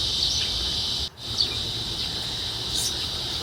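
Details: Cicadas at around 8 pm outside a home in a very quiet village in America give an unbroken high-pitched buzz, briefly cut out once, with a small garden waterfall running faintly in the background.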